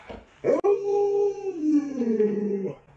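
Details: Pet Alaskan Malamute Luoluo, a dog with 36 tricks, vocalises after pulling a stool away so its owner falls: a brief yelp, then one sustained, steady howl about two seconds long that sags lower toward the end.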